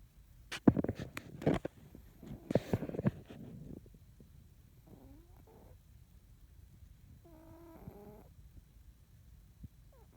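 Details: Sleeping house cat Rocko snoring while someone draws nearby. Sharp scratching and tapping sounds fill the first few seconds, then two soft, raspy, buzzing snores follow in a quieter stretch.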